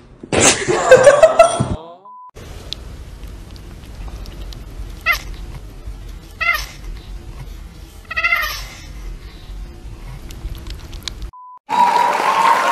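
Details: Domestic cat in a funny cat compilation, giving a loud drawn-out wavering yowl, then several shorter rising-falling meows spaced a second or two apart over quiet room noise, with a brief tone and noise near the end.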